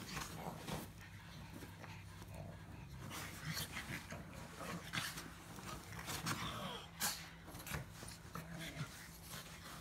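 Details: Pug grumbling indoors: irregular snorty, breathy bursts and rough grunts rise and fade over ten seconds, with a steady low electrical hum running underneath throughout.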